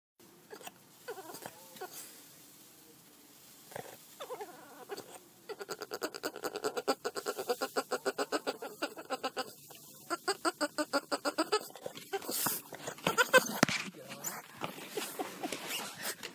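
A Boston Terrier makes odd whining, grumbling noises in rapid pulsed bursts.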